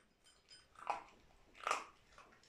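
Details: Dog chewing kibble in a small room, with two distinct crisp crunches about a second apart and a faint click at the end.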